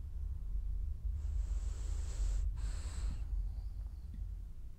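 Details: A French bulldog snores while dreaming: one long, hissing, wheezy breath lasting about two seconds, broken by a short pause, over a steady low background hum.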